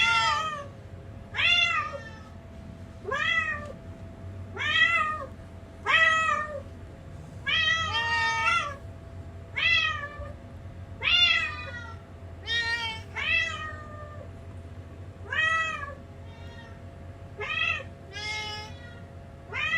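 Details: Indoor domestic cats calling anxiously while searching after hearing playback of their own voices; roughly fourteen short, bright meows spread over twenty seconds, arched in pitch and unevenly spaced, a few softer ones near the end, with faint steady hum.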